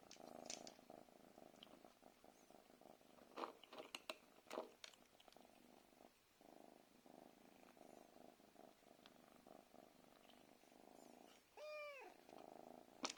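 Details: Pet cat asking to be fed at night, purring continuously throughout with scattered clicks and taps, ending in one short rising-falling meow near the close.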